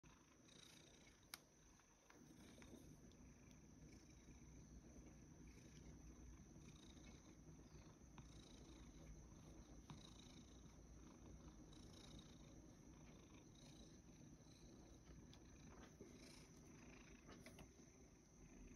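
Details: A rescued male cat, Sacchan, living at the Kazeno workshop with a grandmother, purring in the morning: a steady, low, continuous rumble that lasts throughout, with one sharp click early on and faint higher room sounds.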